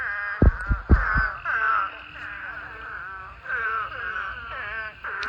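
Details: During mating season, thousands of eastern spadefoot toads in a pond call in a dense chorus of overlapping nasal, wavering moans rising and falling together.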